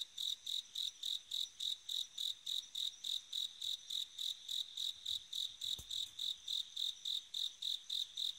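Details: Bell cricket singing on an autumn night, giving a long, regular train of clear, bell-like high chirps, around three to four per second, each short and even in loudness; one brief soft thump midway.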